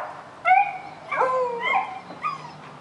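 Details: Daisy, a puppy, barking at a rabbit: four high, whiny yelping barks with slight downward bends, spaced roughly half a second to a second apart, over a faint low steady hum.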